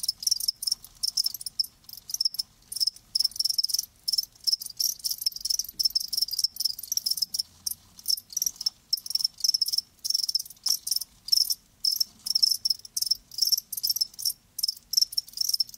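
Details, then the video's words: Live crickets give dense, rapid, high-pitched chirps, the trilled pulses following one another almost without pause over a steady, quiet background. "Live Crickets 60min "Natural Sound""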